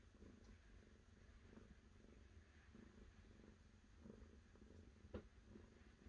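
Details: Soft, low purring from a cat, a continuous rumble rising and falling in gentle pulses, with a faint click near the end.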